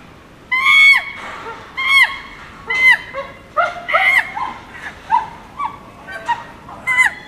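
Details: Chimpanzee screams: sharp, high, harmonic shrieks in uneven bursts, some loud and some fainter, each dropping in pitch at its end, against a quiet hiss in the background.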